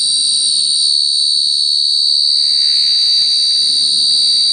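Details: Cricket (Khmer ចង្រិត) trilling continuously: one sustained, piercing high note with a thin upper overtone, unchanging across the whole stretch, faint hiss in the background.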